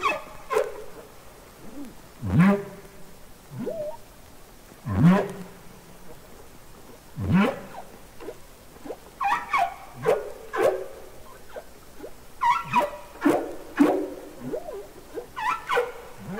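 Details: Real humpback whale singing and communicating underwater on Capitol Records ST-620: deep grunting swoops every two to three seconds, followed by a faster run of short rising chirps and upsweeps against soft background hiss.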